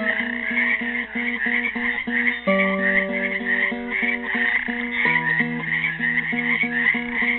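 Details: A chorus of frogs caught in a pool in Helix, Oregon, on Earth Day 2016, croaks without pause in a high dense band, as a classical guitar repeats short rhythmic plucked patterns and chords.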